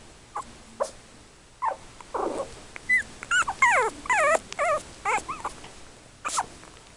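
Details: Yorkshire Terrier puppies aged three weeks, from parents Tinker and Louie and born 24 October 2014, whine in a run of rapid, wavering, squeaky yelps, about two per second at the peak, bracketed by softer single whimpers.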